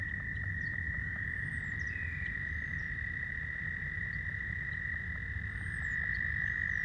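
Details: Male American toads calling loudly for females at a pond, a continuous high buzzy trill with a second trill joining near the end, plus scattered faint squeaky calls and clucks from leopard frogs behind.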